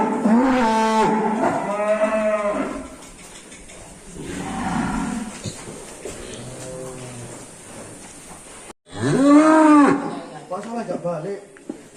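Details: Angry, rampaging cattle in Indonesia bellowing: several long, loud moos with rich stacked harmonics, the first two back to back, a fainter lower moo in the middle, then a final strong rising-falling moo; faint speech in the background.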